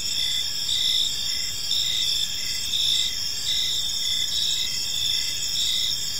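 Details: Crickets in a park at evening, shrill layered chirping held constant, with gentle swells and brief pulsed notes repeating, light background rumble.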